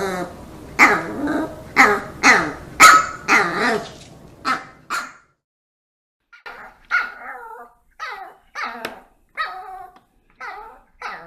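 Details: Treat-motivated pet dogs bark rapidly and loudly for several seconds, then after a brief silence give softer, shorter yips and whimpers at irregular intervals.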